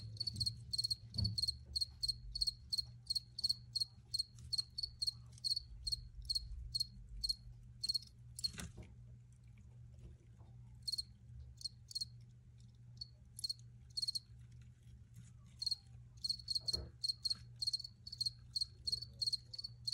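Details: Crickets chirping in quick repeated high bursts, dense at first, thinning to sparse chirps midway, then picking up again toward the end; a low hum underneath and a couple of faint knocks.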